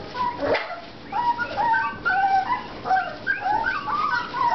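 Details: A litter of four-and-a-half-week-old American Bulldog puppies whining in chorus: a soft thump at the start, then many thin, rising and falling whimpers that overlap and keep going without a break.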